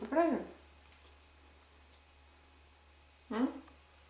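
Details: Red fox giving two brief, bright, harmonic yelps, one at the start and one after roughly three seconds of near quiet, the second slightly rising, over a faint steady low hum.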